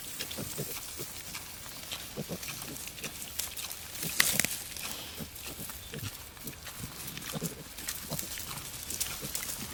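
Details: A wild boar sow with her 8 newborn piglets in their forest home gives short, rough grunts and occasional higher squeals in quick irregular bursts.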